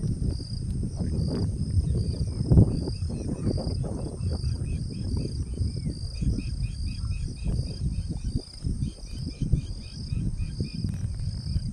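A cicada's steady, high-pitched whine drones on over heavy low rumbling noise.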